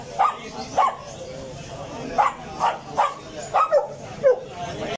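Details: Dog barking: about eight short, sharp barks with brief gaps, some doubled in quick succession, over a low steady background.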